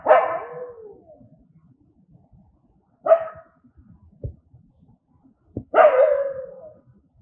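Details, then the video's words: Angry dogs barking, three sharp, loud barks about three seconds apart, the last drawn out into a falling whine, with a couple of faint clicks between. "Angry Dogs barking sound, Angry Dogs aboie, Cachorros com raiva latindo som, कुत्ते की आवाज"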